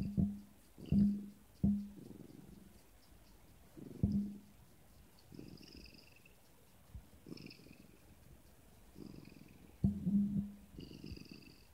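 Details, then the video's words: Pet Siamese cat answering its owner with a cute 'No': short low grumbling, purr-like bursts come about once a second, some clipped and sharp, with faint steady high tones in the background. "Siamese cat Sean's cute "No""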